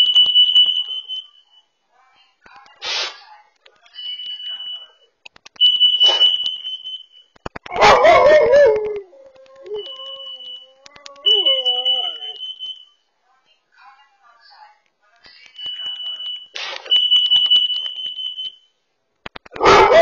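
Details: Over a carbon monoxide alarm going off indoors, a dog barks in short sharp bursts spaced a few seconds apart, with one brief rising-and-falling howl between. Steady high alarm beeps repeat throughout. Captured by a Furbo dog camera.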